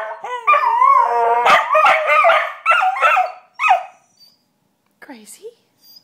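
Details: Australian Cattle Dogs howling and shrieking after being riled up by their owner. Several overlapping, wavering harmonic howls break into short rising-and-falling shrieks. A brief pause follows, then a few faint final yelps.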